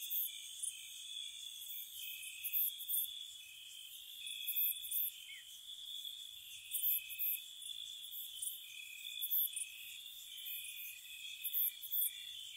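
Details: Crickets sing through a spring night at a cottage, an unbroken shrill trill punctuated by grouped bright chirps every couple of seconds, many insects overlapping over a faint low rumble.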